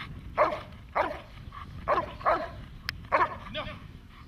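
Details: Dog in protection training barking hard in sharp bursts, roughly eight barks across four seconds, several coming in quick doubled pairs, with a single sharp click and low background rumble.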